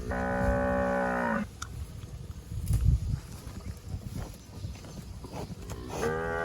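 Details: A fat cow grazing on grass among bushes gives a steady, droning moo lasting over a second, then starts another moo near the end; rustling and low background noise fill the gap between calls.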